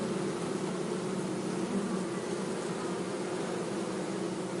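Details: Bee buzzing in a steady, continuous drone with a low hum and a broad hiss above it, unbroken for the whole stretch.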